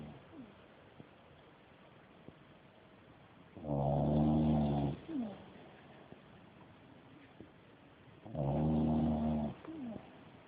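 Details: Dog snores hard through its nap, two strong rattling snores roughly 4.5 seconds apart, each trailed by a brief wheezy exhale, with quiet background in between.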